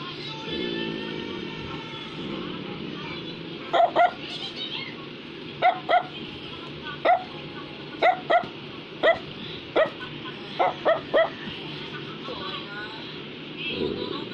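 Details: Brussels Griffon toy dog giving a run of about ten short, clipped barks at irregular intervals, a few doubled, with music playing steadily underneath.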